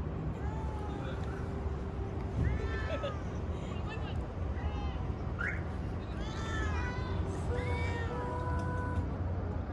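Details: Stray cat on the street while being petted, repeated short rising-and-falling meows coming in quick bursts, mixed with a person talking softly and a continuous low background hum.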